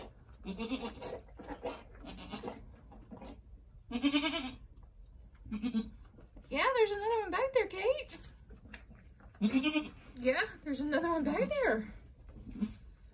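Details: Angora goats at Lost Goat Ranch around a doe giving birth to two red buck kids just before sunset on March 7, 2020; wavering, quavering bleats come in two bursts midway and near the end, between stretches of people talking.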